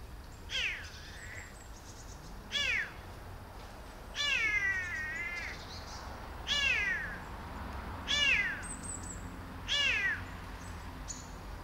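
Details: Six months after rescue, a formerly tiny abandoned male kitten meows insistently: six clear, arching, harmonic cries spaced about every one and a half to two seconds, one wavering longer, over quiet room noise.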